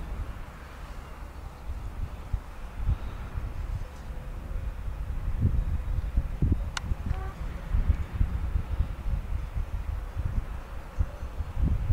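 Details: Low wind rumble and handling noise with a single sharp click, and no clear animal voice.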